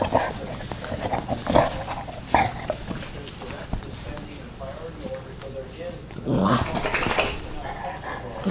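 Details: Yoda the dog, surrounded by his puppies, makes low growls and a run of high, thin whining notes mid-clip, with people chatting and laughing around.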